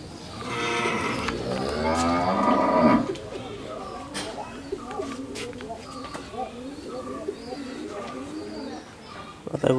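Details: Pair of 14-month-old Friesian heifer calves in Pabna, Bangladesh; a long, rough, loud moo rises and breaks off after about three seconds, followed by a quieter stretch with scattered clicks and background chatter.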